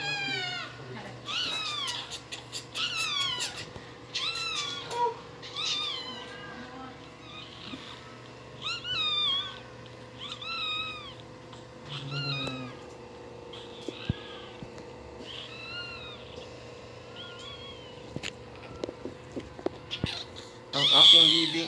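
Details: Newborn Shih Tzu puppy crying persistently, a long series of short, high, arching squeaks and mewling wails, roughly one every second or two with brief pauses, ending in a louder burst; faint steady hum behind.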